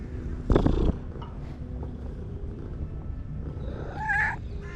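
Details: Friendly black female stray cat making loving sounds toward people: one short, rising-then-falling chirping trill near the end, after an early thump, over a steady low rumbling background.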